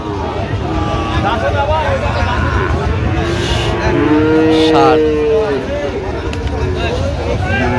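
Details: Sahiwal bull calves at a crowded livestock market in Dhaka, Bangladesh, 28 November 2025; a clear, drawn-out moo of about one and a half seconds stands out from background babble and traffic hum, with fainter moos around it.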